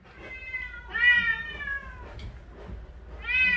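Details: Shelter cats at a rescue centre in Ulsan, South Korea, during weekend volunteering, after being housed together and fed fish: clear drawn-out harmonic meows, three in a row, the second long and gently falling, with faint background voices.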